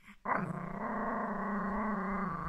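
A small Yorkshire Terrier growls on command, a sustained low rumble that begins abruptly and holds evenly for about two seconds. The growl has a buzzy, slightly raspy texture without any clear barks.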